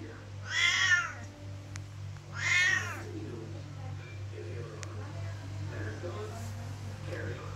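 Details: Loud Siamese cat meowing because it wants to go out of the room: two drawn-out, wavering meows near the start, then quieter room sounds with a steady low hum and faint rustling.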